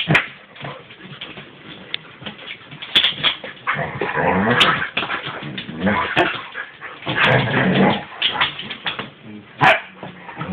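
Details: An Alaskan Husky and an Alaskan malamute playing together, recorded on an Android phone: rough, noisy growling and grumbling vocalizations in bursts, with whimpers and short yips, plus sharp clicks and thumps of play throughout.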